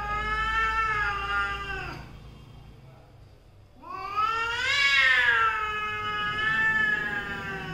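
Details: Mother and daughter cats in a cat family quarrelling: long drawn, wavering yowls, one fading out after two seconds, then a louder rising howl that swells and holds for about four seconds.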